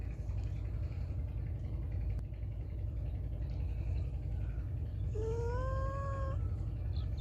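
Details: Loud meow from a feral cat, one long wavering call that rises slightly and holds for about a second, heard near the end over constant low traffic rumble and quiet background noise.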